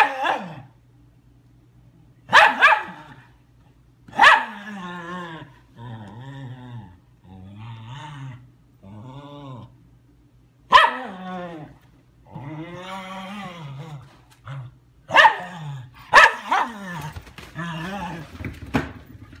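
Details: Ten-week-old German Shepherd puppy Leia at play, giving loud abrupt barks several seconds apart, each followed by rolling, wavering growl-like yowls in a small indoor room.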